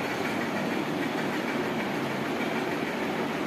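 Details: Loud, steady rumbling hiss of a moving train dominates, without any animal sound.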